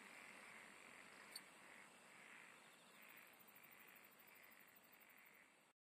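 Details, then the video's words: Singing insects: soft, repeated mid-pitched trill bursts about every half second, under a thin high hiss. A quick, very high ticking pulse train enters at three seconds, and the sound cuts off abruptly near the end. "SINGING OF INSECTS"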